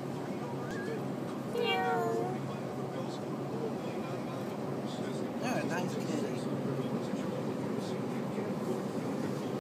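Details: Cat greeting a shopper inside a grocery store: one drawn-out, clearly harmonic meow lasting under a second, with quieter meow-like sounds around it over steady store hum and nearby voices.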